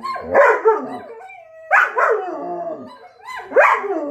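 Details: Dog howling in three tonal bursts about every two seconds, each rising sharply and then sliding down with rich harmonics; a thin steady tone holds between the first and second bursts, which may be a second voice.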